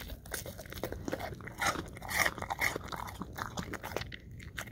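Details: English Cream Golden Retriever eating apple chunks: wet, crisp crunches and bites in irregular bursts, several loud snaps near the middle, chewing continuing at a quick uneven pace.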